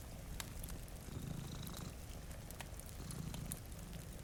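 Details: Sleeping cats in front of a rainy window give a deep, even purr with gentle swells, overlaid by light rain and occasional fire crackles.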